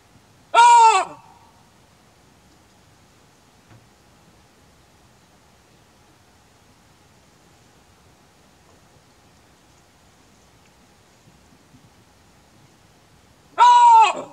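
A chacma baboon gives two loud, harsh barks, one at the start and one near the end.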